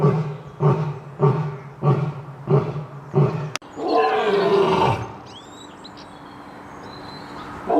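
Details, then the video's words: Lion roaring: about six deep, even grunts spaced roughly every half second, then a longer, throaty moaning call that slides downward, followed by faint whistled bird notes in a quiet background. "Lion Roar Compilation: Nature’s Most Powerful Sound"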